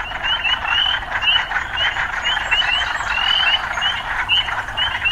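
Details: Loud urban frog chorus: a thick buzzing bed of calls overlaid by quick upswept chirps, often in pairs, repeating throughout.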